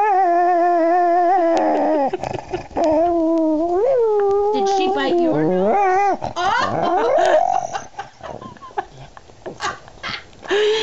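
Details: Female dog "talking" when angry, indoors: long, steady, whining, howl-like notes that rise and fall in pitch, breaking into grumbling, wavering yowls, with a woman speaking to her.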